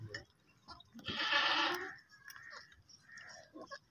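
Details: Baby goats bleating: one loud, broad, harmonic bleat lasting under a second in the middle, with fainter short calls before and after and a quiet background.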